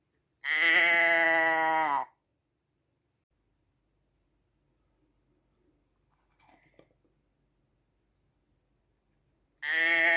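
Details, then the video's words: Sheep bleats: one long, even, nasal bleat opens, followed by near silence with a few faint rustles and knocks, then a second bleat begins at the very end. "Schaafgeräusch 1 Stunde Sheep sound"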